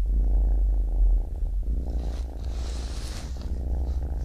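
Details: Baby kitten purring: a deep, continuous rumble with fine rapid pulsing, louder at the start, with a brief soft hiss or rustle midway.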